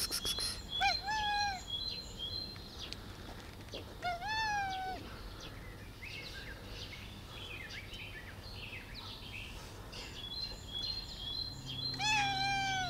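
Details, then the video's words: Three meows from a black cat, spaced several seconds apart, each a bent, wavering cry, over a background of chirping birds and soft outdoor noise. "Black cat meow like a sweet bun"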